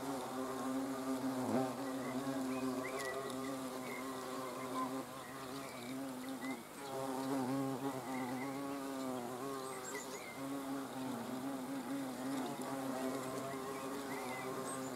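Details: Several hornets buzz before a camera on 30 June 2020. Their deep, continuous droning hum wavers in pitch as they fly and overlaps throughout. Faint bird chirps are heard in the background.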